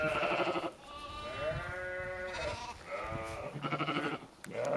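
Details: Several sheep in Skåne, Sweden, calling in quick succession: strained, quavering bleats that overlap and run almost continuously through the clip, with a brief lull near four seconds.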